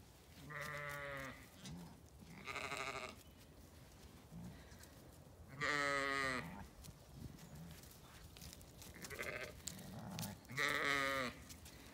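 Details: A Zwartbles ewe on a County Kilkenny farm paddock, turned out with lambs, bleats repeatedly, rich quavering baas about a second long with gaps of a few seconds, calling to locate her lamb, later found asleep; a voice speaks faintly.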